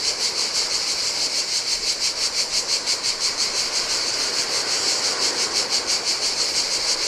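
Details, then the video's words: Steady, shrill cicada chorus on a Greek island beach in summer heat, the buzz throbbing in regular beats roughly three per second, while gentle Adriatic waves hiss faintly underneath. "Cicadas by the Sea - Ocean Waves & Cicada Sounds"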